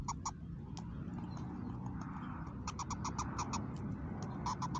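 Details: Mother squirrel called Mama Squirrel, in a new location, making a new-sounding call: two short clicks, then from mid-clip a rapid series of rasping pulses that continues to the end, with a steady low hum underneath.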